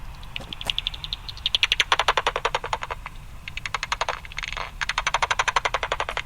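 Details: A common pipistrelle (Pipistrellus pipistrellus), picked up at 45 on a bat detector, gives dry ticking clicks that speed up into a raspberry-like feeding buzz as it homes in on a small insect such as a midge or mosquito.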